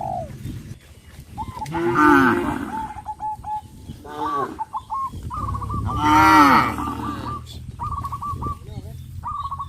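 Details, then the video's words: Cows on a village farm, jumping off a sidewalk and down into fields, give three swelling, harmonic moos spaced about two seconds apart. Short, repeated, hooked whistles sound throughout. "sound of cows"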